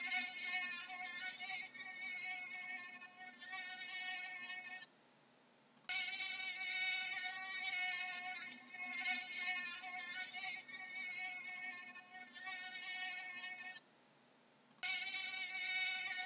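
A mosquito's thin, high-pitched whine that wavers slightly in pitch and breaks off in two short pauses.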